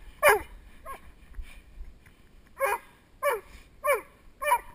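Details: During protection work with a helper, the male Doberman Spock gives loud barks filmed on a GoPro Hero2 headstrap: one sharp bark, a pause with faint sounds, then four barks at regular intervals.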